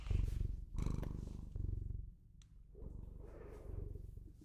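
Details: Pet Bengal cat purring up close in low, rapid rumbling pulses that come in bursts of about a second, rising and falling with each breath, with quiet gaps between.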